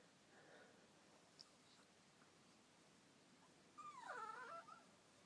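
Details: Chihuahua, unhappy that another dog is taking over the bed, gives a short wavering, bleating gurgle of under a second after a quiet stretch, its pitch wobbling up and down.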